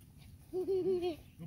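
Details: A frolicking German Shepherd puppy, one of a black-and-red imported European litter, gives a brief wavering whimper. It runs as three linked pulses over about half a second against a quiet background.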